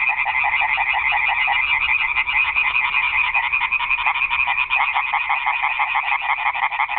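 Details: A night-time frog chorus at a garden pond, including tree frogs: dense, rapid, pulsing croaks blending into one unbroken, rattling drone.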